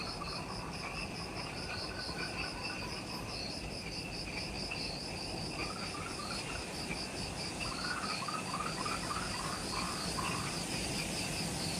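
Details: Insects in an Ishigaki Island, Okinawa, Japan jungle forest near the Mt. Omoto trailhead, just after sunset at twilight: a dense chorus of steady high pulsing trills, with a lower rippling series joining partway through.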